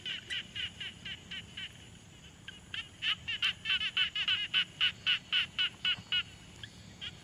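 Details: Frogs at a quiet pond, Tascam Portacapture X6 field recording: a steady string of buzzy pulsed calls, pausing briefly, then resuming louder and denser with overlapping callers around four per second, ending in a few scattered notes.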